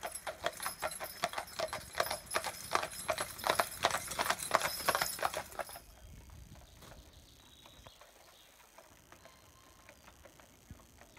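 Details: Pair of Clydesdale horses, Cyril and Monty, pulling a carriage in harness: loud, rapid hoof clip-clop for about six seconds, clustered clicks near 165 per minute, then fading to quiet background with a few faint taps.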